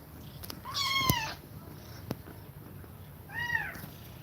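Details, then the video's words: Mother cat breathing fast while feeding milk to her kittens. A loud, harmonic-rich meow rises then falls around one second. Soft breathing follows, then a second, quieter arched meow near the end. "Cat Breathing Fast While Feeding Milk To Kittens"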